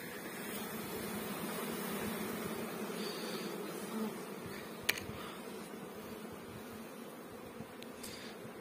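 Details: Honey bees kept on a Pakistani bee farm produce a dense, continuous droning hum from many insects, with a sharp click midway and faint higher whines.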